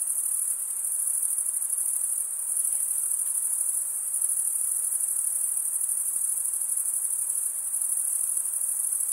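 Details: Crickets stridulating, a sound usually made by males rubbing one wing's edge across a toothed vein on the other: a dense, very high-pitched continuous trill, steady throughout with slight pulsing, and nothing else but a faint hiss beneath.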